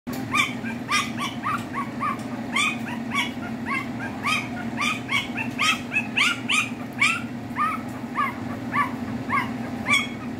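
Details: A 5-day-old Chow Chow puppy squeals in quick, overlapping bursts, each cry a short, thin, rising squeak repeated several times a second, over a steady low hum.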